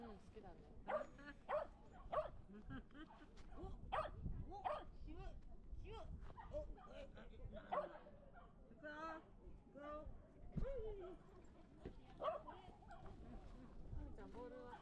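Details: Shetland Sheepdog at a dog run, acting shy around unfamiliar dogs: a long run of short, bright barks, some in quick bursts, with steady human conversation underneath throughout.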